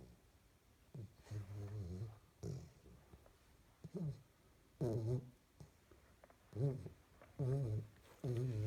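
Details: A 12-week-old female springer spaniel puppy snores in low, rumbling bursts, some rising into squeaky, whining tones, apparently while dreaming.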